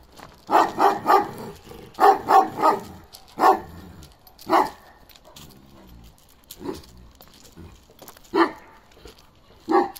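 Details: Powerful, resonant barking from a 15-month-old male Kangal named Balyoz, karakırçıl in colour, starting to become an adult male; barks come in quick pairs and triplets, then thin out to single barks spaced about two seconds apart.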